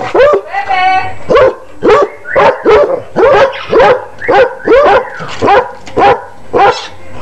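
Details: A basset hound gives a steady run of short, punchy barks, about one every half second, a dozen or so in all, with one brief whining, tonal note early on.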